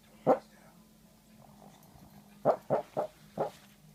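A small dog gives soft, muffled woofs while asleep, one alone, then a quick cluster of four.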